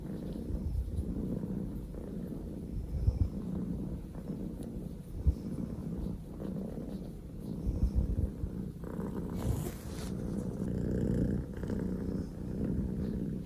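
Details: Poko J, a Scottish Fold kitten, male, born 15 October 2019, purrs at full engine: a deep throbbing purr rising and falling with each breath, interrupted by a brief soft rustle near the tenth second.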